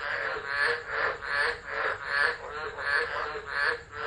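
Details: Tropical frogs chorusing during a tropical low storm at Driver, Northern Territory, Australia, 13 December 2013, phone recording left unattended; dense rasping croaks swelling and fading about every 0.7 seconds, a steady hiss beneath.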